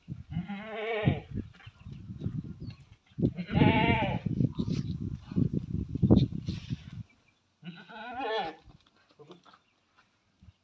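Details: Tall Beetal billy goats raised for Qurbani give loud, quavering harmonic bleats, about three spaced over ten seconds, between low rumbling handling noise and thumps.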